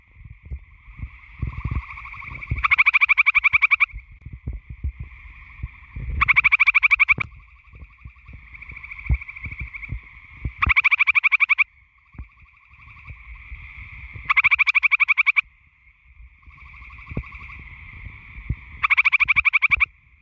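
Gray tree frogs give loud, musical trills, each about a second long, repeated every few seconds.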